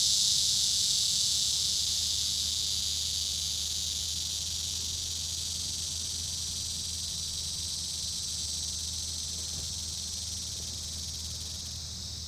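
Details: Male Neotibicen auriferus cicada at Sand Hills State Park, Kansas, September 5, 2013, 7:03 p.m., clinging to a small tree near the end of its active day, another male behind it; steady high hissing buzz, unbroken, slowly fading over twelve seconds, low background rumble.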